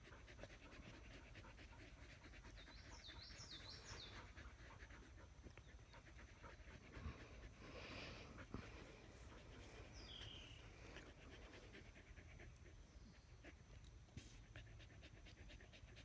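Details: Australian Shepherds resting in the shade under a willow tree: steady, quick, rhythmic panting throughout, over a low background hum, with a few brief high squeaky sounds near the start and around ten seconds.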